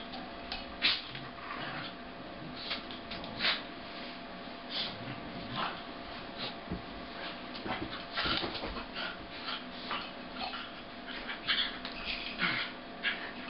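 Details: Two Corgis wrestling, a red and white male making all the noise and a sable female, with scattered whines, yips and huffs over steady scuffling, played at half speed.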